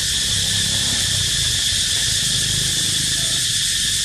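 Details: Unbroken, high, metallic cicada drone, loud and even from start to finish, with only soft low background murmur.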